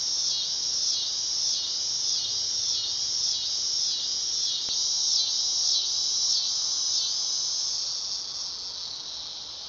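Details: Dog-day cicada's shrill buzz throbbing in quick regular pulses about four times a second, then smoothing into a steadier whine that fades slightly at the end, with one faint click midway.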